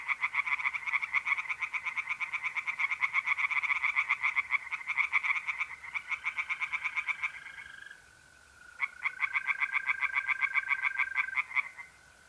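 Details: Chorus of tree frogs in a pond on a mid-April night in north-east Italy, rapid rasping croaks repeated several times a second with a brief pause midway, backed by the steady unbroken trilling of mole crickets.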